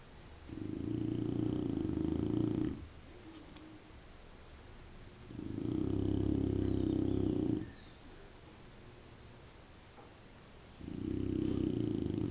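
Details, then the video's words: Candy, a pet dog described as big-bellied, snoring indoors: three long, raspy, low rumbling breaths, each lasting about two seconds and recurring roughly every five seconds, with quiet pauses between them. "Candy roncando"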